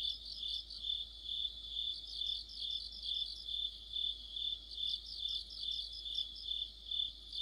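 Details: Crickets singing in a deep-autumn insect orchestra near a streetlamp, many voices overlapping as a high steady buzz punctuated by quick chirp pulses about twice each second.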